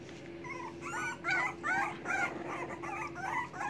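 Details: English Bulldog puppies waiting for their mother to feed them whimper and squeal in high, wavering bursts, calling out because they are hungry.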